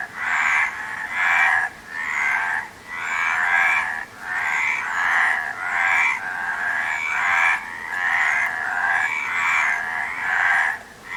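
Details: Raspy frog croaks pour out in a busy chorus, bursts of pulsed calls repeating irregularly over eleven seconds with only brief pauses between them.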